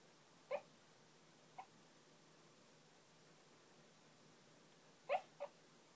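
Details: A pet dog named Phil, who rarely barks, letting out soft muffled woofs while dreaming: a short pair about a second apart, then after a long quiet pause another close pair, all low and brief over a faint steady room hum.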